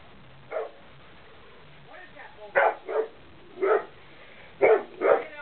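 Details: A hound dog barks loudly: one single bark, then deep, hoarse barks coming in quick pairs, with faint voices in the background between them.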